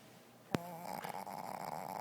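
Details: Zoey, a Shih Tzu puppy whose very short snout leaves her barely able to breathe, snores in a room: one sharp click, then a steady buzzy, wavering rasp that rises and falls in quick rhythmic pulses.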